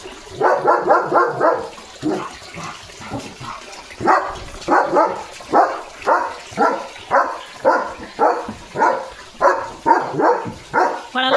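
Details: German Shepherd named Leo barking loudly in the early morning while running at a dog passing by the gate; a long run of sharp, regular barks, about two per second, in short bursts with brief pauses.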